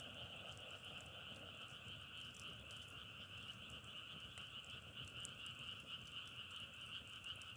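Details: Frogs calling together outdoors in a sound said to resemble crackling firewood; an unbroken, even high-pitched trill in two bands dominates, with a few faint clicks and soft low background noise.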